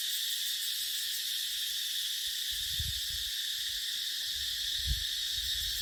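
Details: Continuous shrill cicada chorus in dry-season dipterocarp woodland, an unbroken hissing buzz holding a constant high pitch, while occasional low wind gusts swell quietly underneath.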